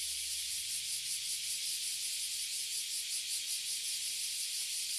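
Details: Dense, unbroken high buzzing from a tree crowded with Oily and Bear Cicadas in Toyohashi City, Japan; the shrill drone stays even and very loud for the whole stretch.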